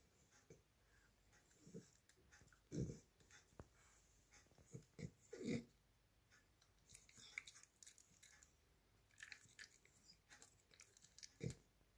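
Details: A male Cavalier King Charles Spaniel gnaws a Christmas candy-cane-shaped dog chewing bone in irregular wet crunches and soft thumps.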